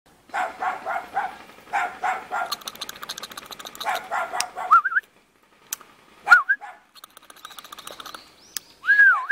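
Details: Cute puppy living in a mountain village near Jeonju, North Jeolla Province, Korea, barking in quick bursts of several sharp yaps, pausing, then barking again; thin whistled bird notes slip in between the later barks.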